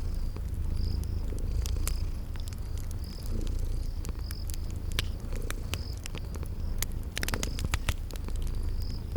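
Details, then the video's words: Cozy purr of sleeping kitties, a deep continuous vibrating rumble, accompanied by frequent crackling and popping of a fireplace and regular short cricket chirps in a spring garden atmosphere. "Relax with Cute Sleeping Purring Kitties"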